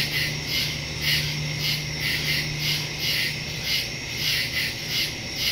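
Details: Night chorus of crickets in the woods, recorded September 2, 2023 using a phone and stereo microphone; shrill pulsed chirping repeats steadily near twice a second, with a brief low hum early on.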